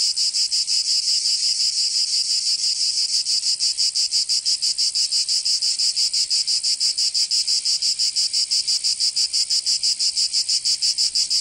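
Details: Summer cicada chorus in Provence, in the south of France: shrill, continuous buzz throbbing in very regular rapid beats, around three per second, holding an even level from start to finish.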